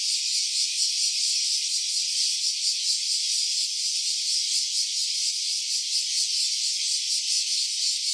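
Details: Cicada recorded in stereo on an OPPO Reno A phone: a steady, dense, high-pitched rasping buzz with fine rapid pulsing, holding level throughout, with no other sounds.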